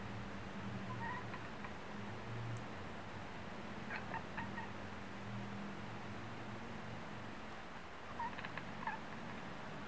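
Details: Female house cat at a window, chattering her teeth and chirping after spotting a wood pigeon on a neighbour's roof; normally silent otherwise. Soft short chirps and brief clicking bursts near the start, middle and end over a low steady hum.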